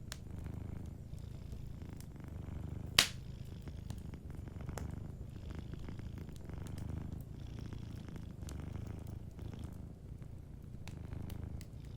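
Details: A cat sleeping near a warm fire purrs softly, a low rhythmic rumble that holds steady, punctuated by one loud snap of the fire around three seconds and faint crackles.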